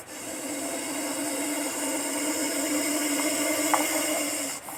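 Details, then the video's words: Russell's viper producing one unbroken, rasping hiss of steady loudness that ends in a short pause for breath. "hissing sound of russell's viper snake"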